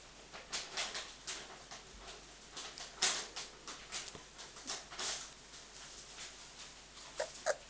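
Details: Five-week-old Samoyed puppies with their mother, giving short, sharp, high yips and squeaks in quick irregular bursts, several per second, with brief pauses between clusters.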